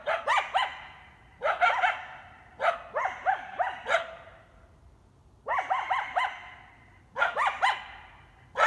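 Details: A coyote pack from the Griffith Park hills, guarding territory by night near the park entrance on Canyon Road, gives rapid barks and wavering yips in several bursts, with a short quiet spell midway.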